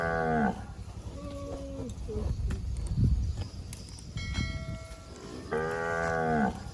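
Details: Fat cow eating grass in scrubby bushes, mooing briefly at the start and again with a longer, level moo near the end, with faint rustling, clatter and a few thin tonal sounds in between.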